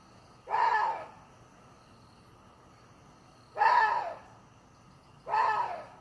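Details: Three rasping, scream-like barks from a water deer, spaced about two to three seconds apart, each a single coarse burst that falls away quickly, with faint background hiss between them.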